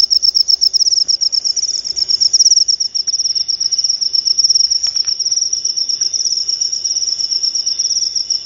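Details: High, shrill cricket chirping, presented as a sound to drive rats away from pet birds and to lure lovebirds. It forms a fast, steady pulsing trill that fluctuates slightly in loudness, and there is no other noticeable sound.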